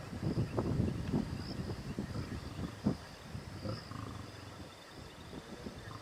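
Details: Distant lions in Timbavati, Kruger area, during the rainy flood season, give deep, rumbling grunts in a loose series, muffled by distance. A mating lioness listens, and these are likely the male's coalition brothers.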